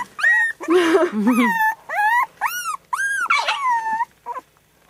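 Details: Three-week-old puppies, one of a litter of four, whining loudly indoors: a quick string of clear, arching squeals about every half second, with a few lower grumbly yelps and women talking quietly.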